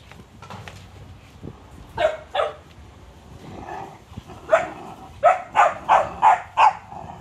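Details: Cane Corso puppies playing, giving short sharp barks and yaps in scattered bursts, then a quick run of five evenly spaced barks near the end, with quiet shuffling between.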